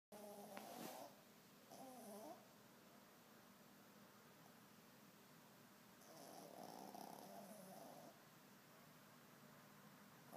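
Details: A sleeping dog snoring through the night, keeping it up for hours: rough, rasping breaths with a faint tonal hum, a short burst near the start, another after a pause, then a longer drawn-out snore, over steady background hiss.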